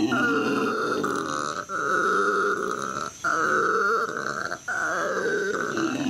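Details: Howler monkeys at a zoo in Los Angeles, May 2014, howling: continuous hoarse, roaring drone with grunting pulses, briefly interrupted about every one and a half seconds.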